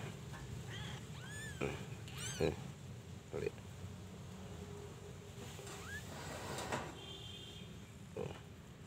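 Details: Persian cat household with kittens: thin, high-pitched arched mews rise and fall in a quick pair, with a few softer calls later, over a steady low hum and faint background noise.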